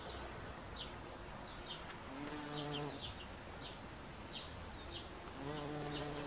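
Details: Low, steady drone of a bumblebee at a daisy, heard in two separate humming bursts amid a background of sharp, repeated small-bird chirps.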